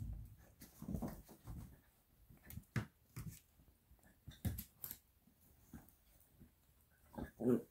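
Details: Italian Greyhound puppy, eight weeks old, indoors while biting a bed, makes low rumbling growls in uneven bursts over the first two seconds, then scattered short grunting pulses and a louder closing growl, with faint room noise.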